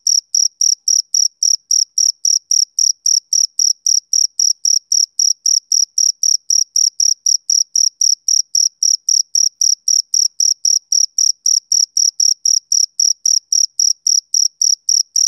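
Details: Unbroken rhythmic chirping from a male cricket on a summer evening, high, piercing pulses repeating about four times a second without pause, no other sounds present.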